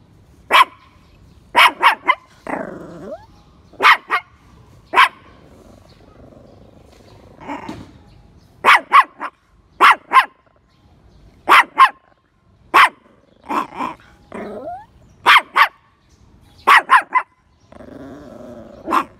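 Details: Daisy, a female Poodle, rests on a round marble public bench in a community space after a short bath. She gives sharp, loud barks in irregular bursts of two or three. Lower, drawn-out whiny moans fall between the barks.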